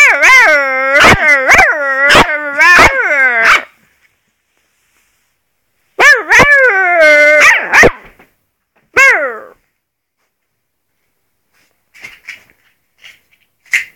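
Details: Malamute-wolf cross puppy howling in a steady wavering tone with sharp yips cutting through it, then a shorter howl and a brief falling cry, followed by quiet faint sounds.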